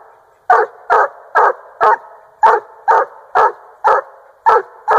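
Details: Chop barks from a 1.5-year-old male Treeing Walker hound that has treed a raccoon in Northern Missouri; eleven evenly spaced, forceful barks follow a short quiet start, each clipped and ringing.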